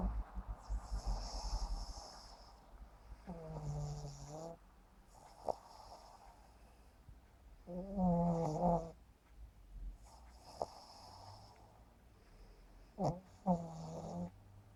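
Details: Sleeping pug Yumaks, a 7.5-month-old pet, snoring comically; drawn-out rasping, slightly whistling snores come roughly every five seconds, with quieter breathing and faint clicks in between.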